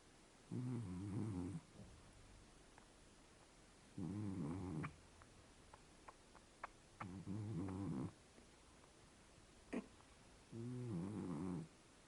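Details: Scottish Fold cat snoring while asleep, four low buzzy snores roughly every three seconds, each lasting about a second, with faint clicks and small knocks between breaths.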